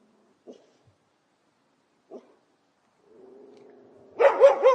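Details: Dog, professionally recorded: a couple of faint isolated ticks, then a low steady hum, then a sudden run of three loud barks at the very end.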